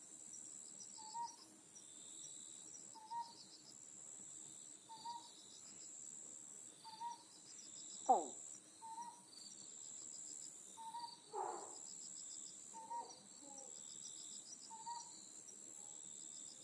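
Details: Otton frog, an endemic, protected species of Amami Oshima, calling at night on a night tour: two loud, short, harsh bursts stand out, over soft whistled notes repeated about every two seconds and a steady high insect trill.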